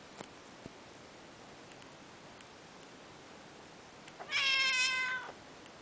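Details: Peterbald kitten, two and a half months old, playing indoors, gives a single clear meow of about one second that rises slightly then holds before ending. The rest is quiet apart from faint taps.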